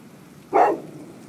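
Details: Golden Retriever named Buddy barking at a couple of prams, an inanimate object: one short, sharp bark standing out against low background hiss.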